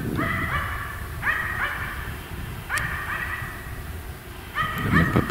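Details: Finnish Spitz hunting dog in winter Finnish forest in January 2025, barking at a treed capercaillie in dim light before the hunter flushes it; short ringing barks in clusters of two or three, repeated every second or so, with a faint voice.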